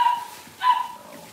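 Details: Cavalier King Charles Spaniel puppies, six weeks old, during deworming and toenail trimming in their pen: two sustained high-pitched whines separated by a brief pause, fading at the end.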